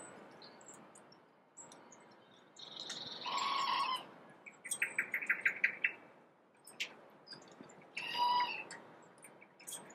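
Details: A wild red squirrel, filmed between May and December 2023, scolds with harsh, nasal chatters and a quick rattling burst of clicks mid-clip, over faint background twitters.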